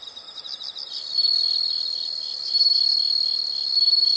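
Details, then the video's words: Brief high chirps give way to a loud, continuous insect buzz that rises in waves and stays shrill and steady throughout. "the sound of insects"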